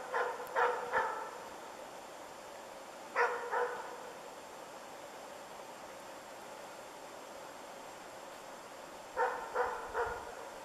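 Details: A moose-training dog, Ukonvuoren Diesel, gives barks in three separate groups of two to three quick calls, each cluster followed by several seconds of quiet outdoor background, during an early moose encounter.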